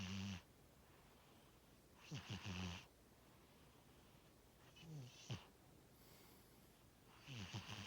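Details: Tora, a sleeping pet cat, snores in low rattling breaths with a breathy hiss, each burst lasting under a second and recurring about every two to three seconds.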